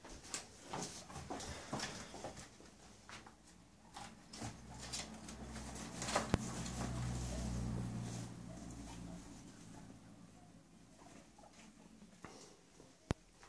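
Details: Guinea pigs Chucky and Stephen come back from their daily outdoor time to find their house rearranged; a low, steady rumbling purr swells through the middle, over scrabbling feet, rustling bedding and sharp clicks.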